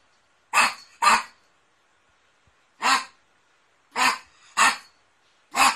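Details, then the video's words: Poodle barking: six short, sharp barks, a quick pair first, then single and paired barks after pauses, with nothing else audible between them. "OUÇA O SOM DO CACHORRO POODLE LATINDO"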